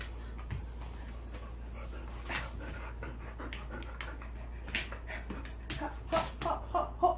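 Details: Jindo dog named Deokgu, a country puppy playing on a rooftop, greeting family after rushing out at the sound of the father's footsteps; rapid breathy panting in quick bursts with scattered clicks and a low steady hum.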